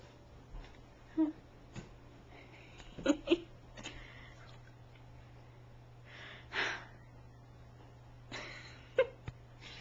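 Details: Sadie, a 7-year-old rescued female Great Dane, telling off her dog bed indoors before she will lie down on it: short, wheezy whimpering grumbles and breathy huffs in separate bursts, with quiet room hum between.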